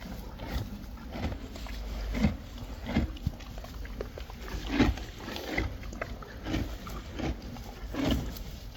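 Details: Friesian horses and foals chewing hay, a steady series of dry crunching bites roughly every half second to second, with a low constant rumble underneath.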